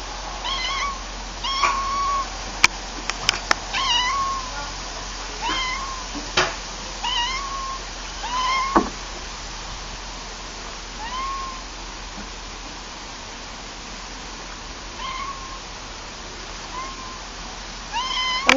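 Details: Cats meowing repeatedly, a run of short arched mews every second or so during the first nine seconds, then sparser ones later, with sharp knocking clicks and a constant low hum.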